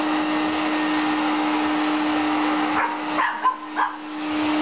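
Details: Shelby, a young Boston Terrier afraid of the vacuum cleaner, gives a few short barks near the end, standing out over the steady loud drone and hum of the running vacuum.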